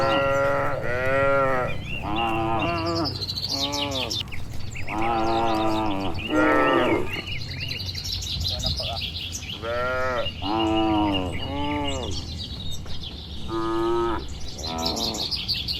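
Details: ['Dozens of well-kept cattle return to their shed on a warm evening in the countryside. Repeated bellowing moos answer back and forth, about eleven per minute. The calls are strong and harmonic, over a low rumbling background with faint birdsong.']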